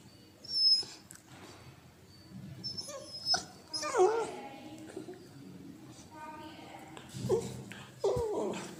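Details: A Cocker Spaniel puppy, while biting, gives high, squeaky whines and short yips in a few separate bursts.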